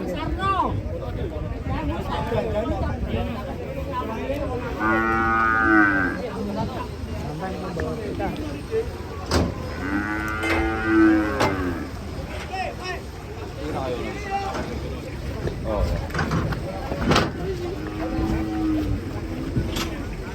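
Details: Cattle kept in Indonesia, shown in a collection of cute and unusual cows, giving three long, drawn-out moos with rich harmonics about five seconds apart, near 5, 10 and 18 seconds, over steady background rumble and faint voices.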